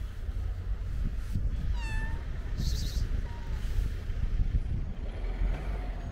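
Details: Stray domestic cat being petted outdoors, one of a tortoiseshell on a roof or an orange-and-white cat on a car. A single clear, slightly falling meow, then a faint short one, against heavy low-pitched traffic noise and brief rustling.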